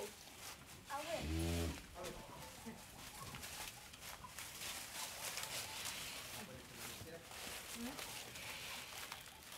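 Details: Cow on an Indian dairy farm giving one short, deep, loud moo about a second in, rich in low harmonics, followed by background voices, footsteps and general farmyard clatter.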